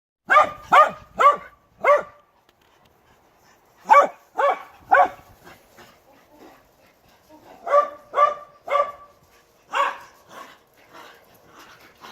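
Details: Dog barking in sharp, loud bursts: a quick run of four barks, a pause, three more, then another cluster of four and a few softer yaps, in a quiet room.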